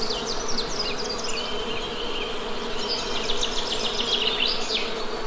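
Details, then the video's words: ['Honey bee buzzing forms a constant low hum beneath lively high-pitched bird twitters and quick chirping phrases that come in bursts at the start and again later.'] "Honey Bee Sound"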